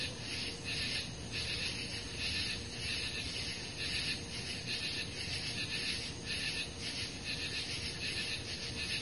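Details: A dense summer-night insect chorus recorded on 18 July 2013, high, raspy trilling that swells in steady pulses.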